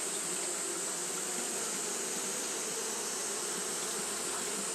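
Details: On a hot day, Japanese honey bees fan their wings without break, giving a rich, even droning hum beneath a steady high-pitched hiss.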